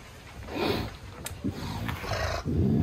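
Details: Captive male lynx growling impatiently while a steak is being unpacked for it; low, rough growls swell around the first second and again near the end, with a brief click between and quiet room background.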